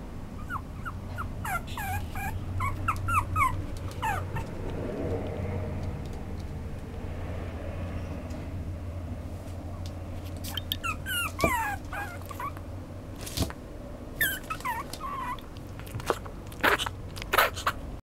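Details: Chihuahua-Papillon mix dog whimpering with scattered clusters of high, sliding yips early and again later, separated by a stretch of low engine-like hum and occasional clicks.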